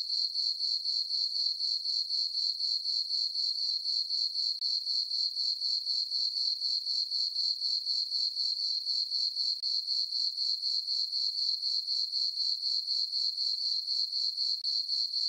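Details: Summer-night crickets in a moonlit farm meadow, their chirping a continuous shrill tone that beats in regular pulses, roughly four each second, on a quiet background with nothing else audible.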